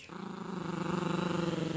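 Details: Yorkshire Terrier puppy at play over a dog toy, growling: a sustained, throaty rumble that starts suddenly and holds steady, pulsing rapidly and evenly with a slight rise in loudness toward the end.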